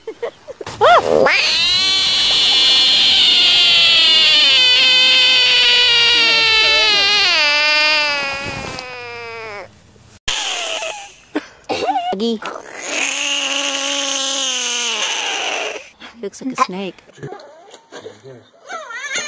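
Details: Screaming frog: a loud, sustained, harmonic wail holds for about seven seconds and wavers slightly before breaking off. After a short gap, a second shorter scream rises and falls, followed by scattered clicks and handling noise.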